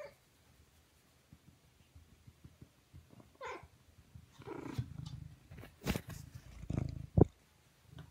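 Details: Male Siamese cat purring close by in low rhythmic throbs that swell louder toward the end, with a brief descending meow early on and a few sharp clicks and knocks.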